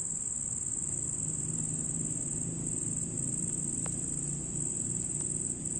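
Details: Red cricket at night giving a continuous high, shrill trill that holds steady throughout, with a faint low rumble underneath and a brief click near the four-second mark.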